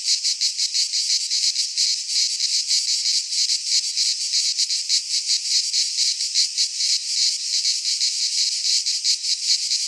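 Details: Chorus of cicadas in a Greek pine forest in midsummer, a harsh high-pitched rasping drone that throbs in fast, uneven pulses for ten seconds, steady in loudness throughout.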